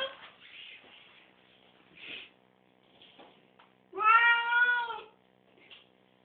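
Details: Pet cat after a bath, having refused to get out of the tub, gives one strong drawn-out meow midway, preceded by soft scattered mews and rustling in a small indoor room.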